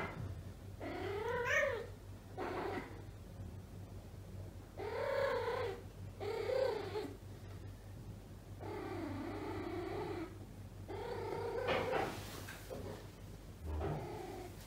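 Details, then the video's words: Indoor female domestic cat in heat, too weak yet for neutering, producing long drawn yowls of one to two seconds, some rising and sliding, separated by brief gaps, with a steady low hum and a soft thump near the end. "Cat Asia is in heat."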